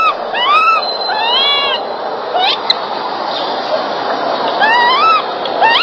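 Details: Baby monkey crying loudly while being groomed by its mother; repeated high, rising-then-falling whistled wails, several in quick succession, over a steady background hiss.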